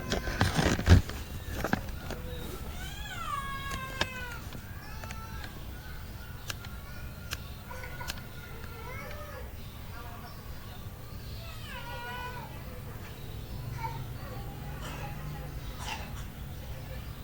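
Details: Mother cat with kittens, heard as a stream of thin, high mewing cries, some bending upward then down, several voices overlapping in quick succession over a low background hum.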